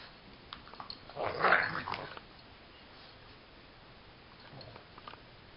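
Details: Dog indoors, wrestling playfully with another dog as a daily habit, not fighting, making its odd play noise: one rough, grumbling growl of about a second, then quiet room noise with faint movement.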